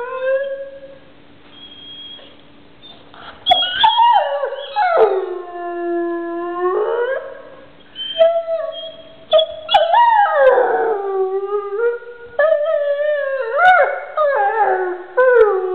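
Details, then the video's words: Howling pet dog with its toy: after a quiet start, a run of warbling howls, one long falling-then-level note, then several bending, yodel-like howls with clear overtones. "howling dog i love my toy or do i"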